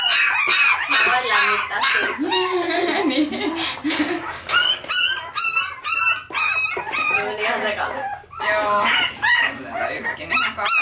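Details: Parson Russell Terrier puppies in Tampere, Finland, filmed with a Sony FDR-AX100, give overlapping high squeaky yelps and whines in quick irregular bursts, growing busier and shriller in the second half.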